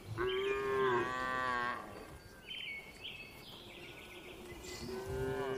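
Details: Calm cattle in a farm barn: one long, steady, tonal moo of nearly two seconds, then softer higher calls from other cows and another moo starting at the end, over low barn rumble.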